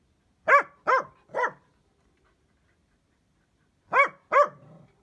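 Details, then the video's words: Dachshund barking in two short bursts: three sharp barks, a silence of over two seconds, then two more, the last trailing into a soft growl. "DACHSHUND DOG BARKING SOUND EFFECTS"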